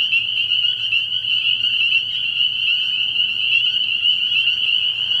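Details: Spring peepers at a frog pond at night early in the year, a thick chorus of high piercing peeps ringing continuously over a soft low humming background.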